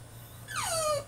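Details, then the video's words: A single loud falling whine from a French Bulldog throwing a tantrum in his cage, sweeping down from high to a held lower tone, low hum in the background. "FRENCH BULLDOG THROWS TANTRUM IN HIS CAGE!!"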